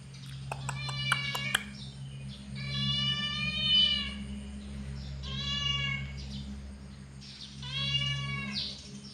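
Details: Angry cat giving three drawn-out, wavering yowls, each rising and falling over one to two seconds, after a burst of sharp clicks at the start; a low steady hum runs underneath.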